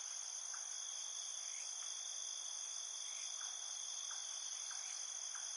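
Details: Field crickets singing at night in a field: a dense, unbroken high-pitched trilling chorus in several layered bands, steady in loudness, with faint short chirps scattered lower underneath.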